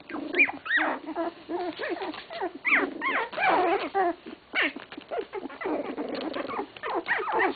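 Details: English Cocker Spaniel puppies at 16 days old whining in arched, rising-then-falling squeals, several voices overlapping in bursts with brief quieter gaps between them.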